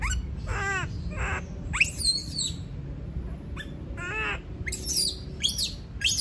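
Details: Monkey screaming because it does not want to be left alone: arched, harmonic wailing cries alternate with sharp, shrill squeals that sweep steeply upward, in irregular bursts over a low background rumble.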